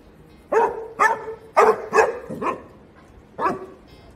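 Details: Young Basset Hound pup beside a horse, captured with Ray-Ban Meta smart glasses, lets out a quick run of five high yappy barks roughly half a second apart, then one more after a pause.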